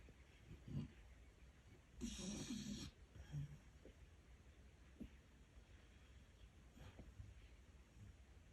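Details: Pet dog asleep and snoring hard: one long, harsh rasping breath early on, followed by a shorter low snort and then faint snuffling breaths against a quiet indoor background.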